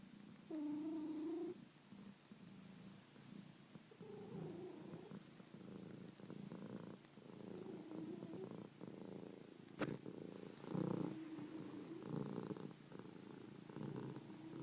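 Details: Purring and snoring domestic cats: a short tonal, rising vocal note opens the recording, then a continuous low pulsing rumble follows, broken by one sharp click near the middle.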